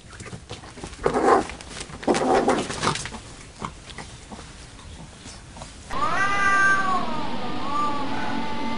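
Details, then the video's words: Fighting cats: a few rough, noisy yowls early on, then a steady, drawn-out harmonic wail that wavers up and down and ends in a short rising meow, with some background hiss. "funny cats fight"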